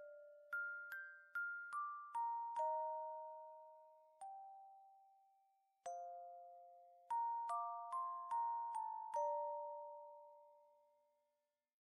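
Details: A gentle glockenspiel melody of bell-like notes plays over quiet background music, each note ringing and fading, with no animal sound present.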